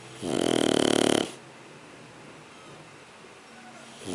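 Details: Sleeping Shar Pei puppy Sugar gives a single vibrating, rattly snore of about one second, followed by quiet breathing and the start of another snore at the end.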